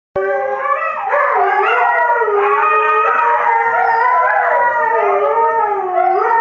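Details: Pet dog jokingly called a Husky wannabe, howling loudly in a long, wavering, drawn-out tone that slides up and down throughout, rich and harmonic, with no other sounds.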